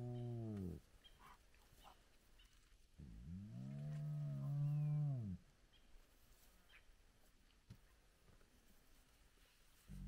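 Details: Large clan of spotted hyenas gathered at their den with very active cubs at sunrise; a deep, arching harmonic moan lasts about two seconds, then a longer one, with faint birds and quiet pauses between.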